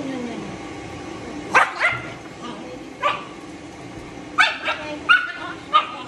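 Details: Matted Shih Tzu being dried after grooming, intolerant of discomfort and biting from pain: scattered short, sharp yelps and barks, some in quick pairs, over a steady background hiss with faint human voices.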